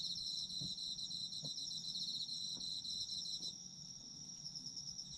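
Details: Autumn insects trilling at a high pitch in rapid pulses. After about three and a half seconds the pulsed trill stops and only a smooth sustained ringing tone remains. Faint low knocks are heard in the background.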